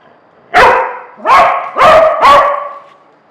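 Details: Domestic dog barking to get a toy being withheld from her; four loud, sharp barks in quick succession, about one every half to three-quarters of a second, in a quiet room.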